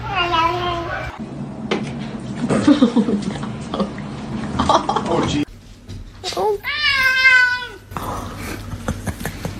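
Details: Kitten meowing amid people talking in a small room: a wavering meow opens, then chatter and background hum, then a loud, clear, falling meow with rich overtones.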